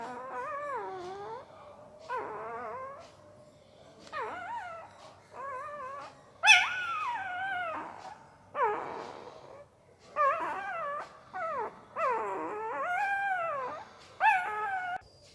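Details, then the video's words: Puppy dozing and making strange mouth sounds: wobbly, nasal whines in a dozen separate bursts of one to two seconds, pitch wavering up and down, one sharper squeal midway, quiet indoor background. "Puppy Sound while Sleeping II Puppy Making Weird Noise with Mouth II सोते समय Puppy की आवाज"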